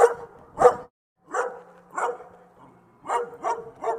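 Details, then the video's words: Dog barking in short, sharp bursts, a pair, then two single barks after a pause, then a quick run of three, with a faint low hum between. "صوت الكلب"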